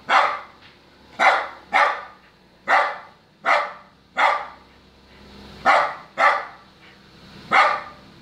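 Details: Lhasa Apso (Canis familiaris), bark: demanding to be let into the car.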